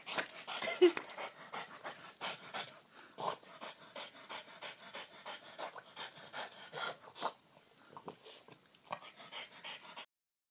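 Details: Hana, a pet dog acting wildly, pants in quick, regular breathy puffs with occasional snorts, fading toward the end; a constant high electronic whine runs through the background.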